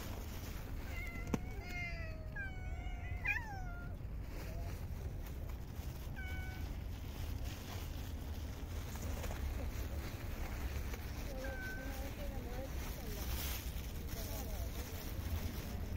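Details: Stray cats in a park, fed during very cold winter weather, give several high meows with rising and falling tones, clustered early then scattered, over a steady low rumble of outdoor background noise.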